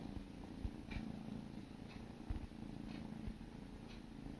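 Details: Purring from sibling kittens during a grooming session, a low, pulsing drone with a few soft thumps and light licking ticks.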